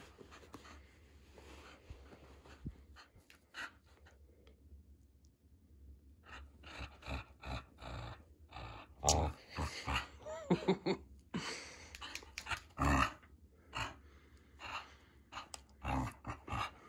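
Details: Storm, a female Border Collie, fighting for her ball in a small indoor room: rough growls and snorting bursts come in uneven clusters, strongest in the second half, with scuffling, clattering play noises and a person calling out and saying "sit" early on.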